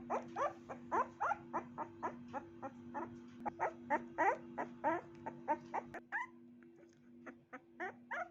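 A puppy yaps in quick, high, squeaky barks, coming in uneven runs of about three per second with brief pauses. A constant low electrical hum runs underneath throughout.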